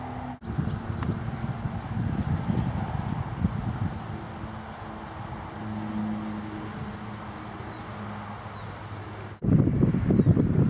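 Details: Percheron cross moving about a paddock in July, a fast, uneven run of low hoof thuds with a louder burst of steps near the end, steady low rumble and faint high ticking behind.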